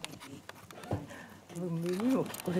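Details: Shiba Inu puppy 屈, just starting to stand, walk, see and hear, gives a clear, rising, nasal whine that swoops upward and breaks off, after quiet indoor rustling; a person speaks softly nearby.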